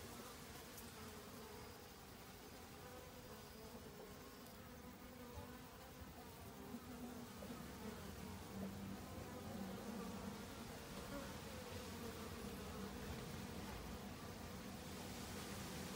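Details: Honey bees in autumn, busily foraging for food to last the winter: a steady, low droning hum with a clear tone and overtones, swelling slightly louder toward the end, with no other clear sounds.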